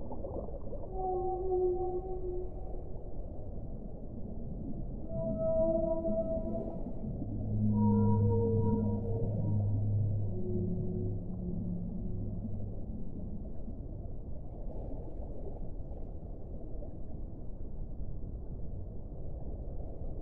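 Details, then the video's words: Whale song phrase: a series of varied moans and whistle-like tones, some rising, some level, coming one after another for about twelve seconds, then fading into a continuous deep underwater hiss and rumble. "1 ora di suono delle balene"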